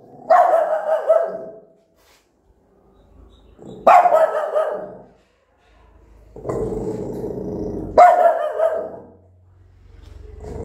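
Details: Angry mother dog barking loudly at her newborn puppies; four loud, harsh, drawn-out barks roughly every two to four seconds, one lower, rougher growling bark in the middle, short quiet gaps between.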